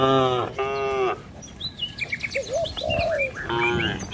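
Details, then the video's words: Cattle herded along a village road among trees and rice fields, giving harmonic moos at the start and end, with bird chirps and whistles between them. "Suara Cow Sepanjang Jalan Desa"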